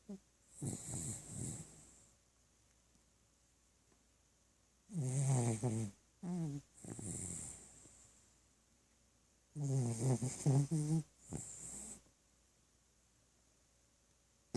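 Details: Sleeping pet dog Tebow snores in slow cycles: breathy inhales alternate with loud, low, vibrating snores that come in pairs roughly five seconds apart, with near silence between them indoors.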